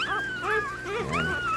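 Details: One-week-old Shih Tzu puppies making thin, high, wavering squeals and whimpers that rise and fall in quick overlapping arcs, several voices at once.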